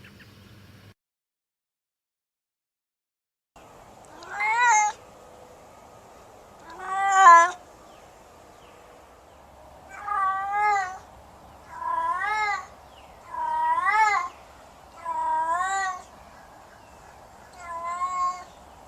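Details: Domestic cat meowing repeatedly, about seven wavering meows spaced one to two seconds apart, over a steady hum; a person speaks soothingly nearby.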